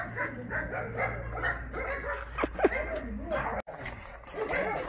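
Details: Chorus of rescued dogs at the Mindeulle abandoned-dog shelter in Yangsan, Korea: many overlapping barks and yips run steadily, with a few sharper louder barks near the middle and human voices mixed in.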